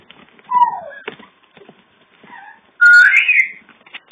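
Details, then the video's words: Puppies a few days before going to new homes, giving a short high whine that slides downward, a fainter pair of whimpers, then a louder, longer rising-and-falling squeal near the end. "Bubbles & Puppies"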